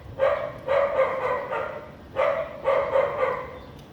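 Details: House dog barking on a sunny afternoon with little clouds in Vientiane, Laos, 15 April 2021; sharp, mid-pitched barks in two bursts, a single bark then a quick run of three, repeated after a pause.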